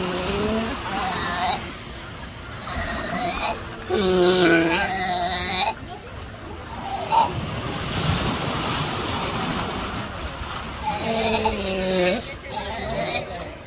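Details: Sea lion mother in the Galapagos handling her newborn pup and struggling to find the right spot to put it. Loud, harmonic, bleating calls come in bouts of one to two seconds, separated by quieter stretches of rough ambient noise.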